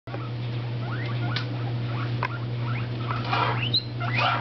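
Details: Pet guinea pigs, an orange Abyssinian and a tricoloured shorthair, jumping around indoors while eating lettuce on a new bedspread; scattered short rising squeaks over a steady low hum.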